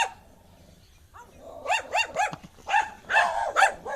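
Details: Angry dog starts quietly, then breaks into a rapid run of harsh, rising barks that merge into a loud, rough volley toward the end.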